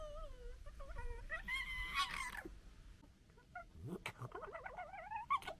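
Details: Urban European red foxes (Vulpes vulpes) of a local family in Britain fight and squabble, giving wavering, whiny calls broken by harsh, stuttering gekkering chatter.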